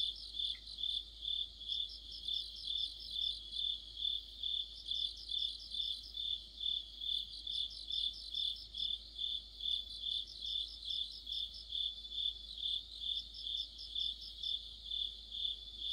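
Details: Autumn insect orchestra of crickets and companions by a streetlamp: continuous high-pitched chirping pulses about twice a second, layered with clustered trilled phrases from other insects recurring every few seconds.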